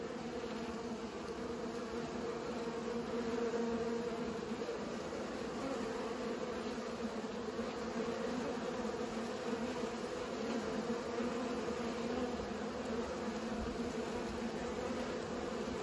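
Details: Bees busy pollinating produce a long unbroken drone, its pitch wavering very slightly while the hum stays steady, over a faint low-frequency background rumble.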